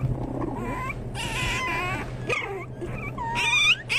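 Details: Several Pomeranian toy spitz puppies whining in overlapping rising-and-falling squeals, ending in a louder sharp yelp, with a constant low hum underneath.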